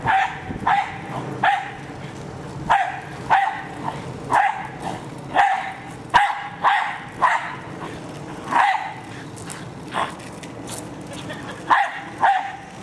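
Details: Sharp, excited barking from Hali, a pet Jack Russell Terrier going after a remote-controlled car. Short yapping barks come in quick bursts throughout, with brief pauses between volleys and faint household noise behind.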